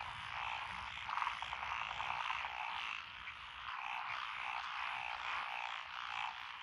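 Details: Frogs calling in lotus rice paddies beside a country road in Echizen, Fukui Prefecture, Japan, on 12 June 2021; a dense, unbroken chorus of overlapping trilled and croaking calls, swelling and easing slightly, with no other clear sounds.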